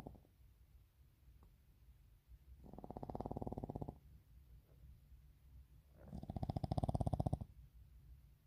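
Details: Sleeping puppies: two long, rattling, low snore-like bursts about a second and a half each, separated by quiet breathing, with a faint hiss underneath.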